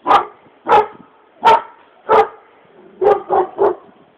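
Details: Bulgarian dogs giving a series of loud, hoarse barks, four evenly spaced at roughly two-thirds of a second, followed by three quicker, slightly lower barks in close succession.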